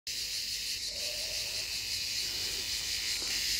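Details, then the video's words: A cicada in Pineto sings a loud, steady, high-pitched buzz that carries on without a break. "Vittorio Cicada Sound"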